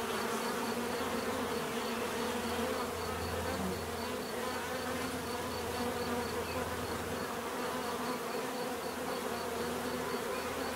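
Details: Dense, continuous drone of a crowd of bees, a low humming buzz that swells slightly midway and never pauses, with a faint regular high-pitched pulsing in the background.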